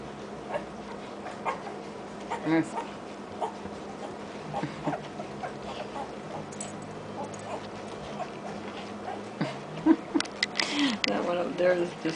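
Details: A litter of German Shorthaired Pointer puppies feeding with their mother in a feeding frenzy. Scattered short whimpers and squeaks rise above a busy background of shuffling, with a person talking softly at times.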